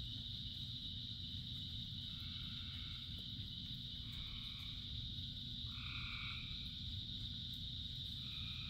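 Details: Rain-soaked frog chorus of thousands: several fainter overlapping croaks early on, then clearer short two-toned calls near the end, set against a constant high-pitched drone and dense low rain noise.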